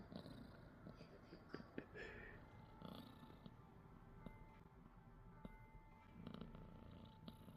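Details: Sleeping pet cat snoring indoors, a soft low rumbling breath sound continuing steadily, with faint tonal hums and scattered clicks and small background noises.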